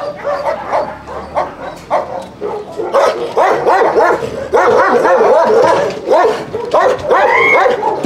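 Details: Dogs at a husky kennel during a recall-from-free-play training visit: a dense run of harmonic barks and yelping whines, rising and falling, repeating rapidly and growing louder over eight seconds.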